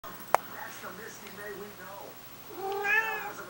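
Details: Siamese cat taking on a box full of crinkly paper: one drawn-out meow near the end, a sharp click early on, a soft rustle and a person talking.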